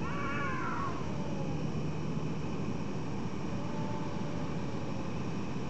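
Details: Cats heard in the middle of the night, a single wavering meow bending downward in the first second, then only a continuous low rumbling background with a faint thin tone.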